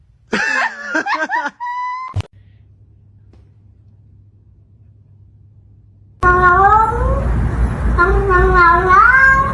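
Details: Domestic cat, a male, indoors: a few short wavering meows at the start, then after a quiet gap a longer run of drawn-out rising and falling meows over steady background hiss.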